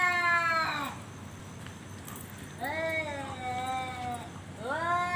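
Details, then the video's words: Male cat challenging another to fight: drawn-out harmonic yowls, the first falling away, then a long wavering wail and a rising howl at the end, with faint background voices. "suara kucing ngajak berantem//kucing jantan"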